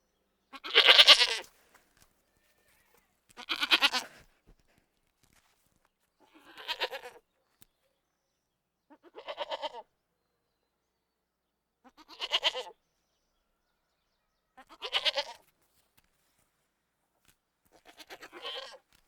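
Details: Baby goats bleating: seven loud, harsh, wavering bleats, each about a second long, spaced roughly every two and a half to three seconds, growing slightly softer over time, with quiet gaps between.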